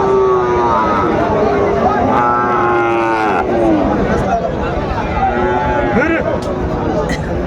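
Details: At a Bangladeshi cattle market in Chattogram on 17 March 2025, where Sahiwal bull calves are traded, a long steady moo lasting several seconds, then a shorter second low call, under continuous human chatter.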